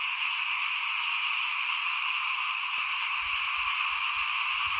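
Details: A continuous frog chorus outside a house during rice sowing in 2021. Many overlapping callers blend into an even, shimmering drone with no pauses, and faint low knocks appear near the end.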